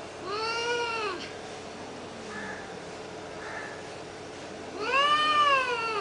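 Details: Domestic cat in a fight, giving two long, wavering yowls with rich harmonics, one at the start and one near the end, separated by quieter murmuring.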